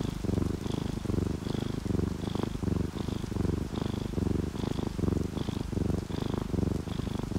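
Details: Sleeping, contented domestic cat, one of an orange tabby and calico pair, purring in a loud, even, motor-like rumble pulsing roughly every 0.8 seconds, with faint high tone blips repeating above.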